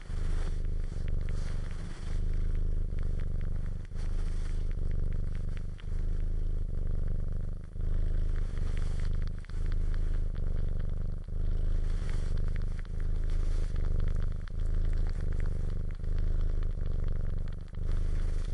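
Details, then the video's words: A cat suckling and purring steadily, the low throbbing rumble broken by short breath pauses about every two seconds, with faint crackling and smacking sounds running through it. "Cat Purring And Suckling"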